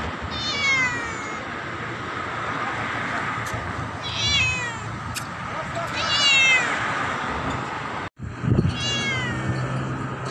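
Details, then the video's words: Black cat meowing loudly at its owner; four drawn-out, harmonic-rich meows, each falling in pitch, spaced about two seconds apart over steady background hum, with a brief dropout near the end. "Why Is My Cat Meowing Loudly At Me"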